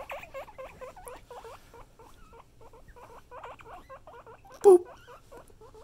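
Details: Domestic guinea pigs wheeking indoors, quick repeated squeals with curling pitch, loud at first then softer, low rumble beneath and a single sharp clatter near the end.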